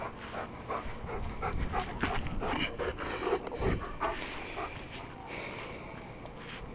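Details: Sable working line Czech German Shepherd, male, panting after running and jumping in a yard: rapid, breathy, irregular huffs about two or three per second, with a man's voice briefly audible.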